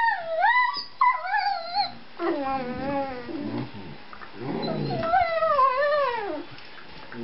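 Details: Two male Treeing Walker Coonhound puppies, Kirby and Hoover, four months old and awaiting adoption, in overlapping wavering howls and yowls that bend up and down, with short breaks between bursts.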